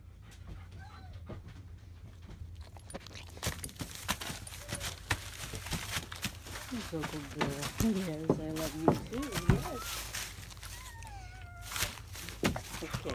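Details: Seven newborn German Shepherd puppies, four males and three females, in their first hours after birth on May 7–8, 2017; shrill wavering squeals and rising whines come in short bursts over a steady low hum and soft talking.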